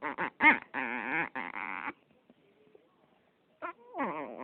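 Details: Nickse, a Yorkshire Terrier, making freaky noises: rapid bursts of harmonic, nasal whining yelps with wavering pitch, a quiet pause, then a sharp yip and a falling, drawn-out whine.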